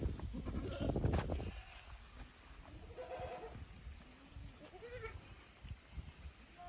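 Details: Kid goats at Yoshigake goat farm, 15 May 2024, on a visit from the lower pasture to the upper one; a loud rustling burst opens, then a short quavering bleat and a thinner rising call follow, with a faint voice in the background.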